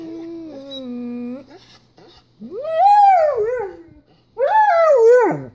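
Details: German Shepherd howling as it watches footage of another German Shepherd; a steady low held note, then two loud arching howls that rise and fall, separated by short pauses.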